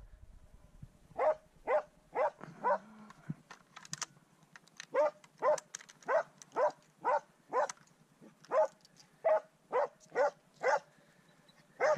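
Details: Swix the dog baying at his first wild boar, a long run of sharp barks about twice a second, broken by a brief pause and a lower rough sound early on before the steady barking resumes.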